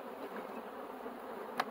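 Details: Honey bees at a hive being worked with a smoker, described as aggressive; a dense, steady humming drone with one sharp click near the end.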